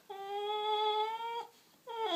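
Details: Seven-month-old bulldog named Frankie, indoors, being told to go to bed: a long, steady, tonal whine held for over a second, slightly rising, then a short gap and a second whine that starts high and drops.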